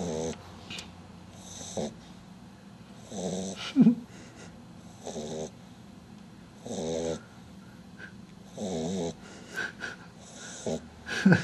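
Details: Butters, a sleeping dog, snoring on 27 June 2009: rough, buzzy snores in short bursts roughly every one and a half to two seconds, with quiet breathing gaps between them and a faint background hum.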